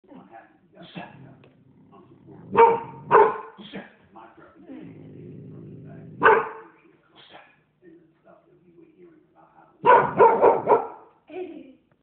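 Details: A young blue American Pit Bull Terrier of the Williams bloodline, in guard-dog training, barks in loud, punchy bursts, some single and some in quick runs of three or four, while a person talks between barks.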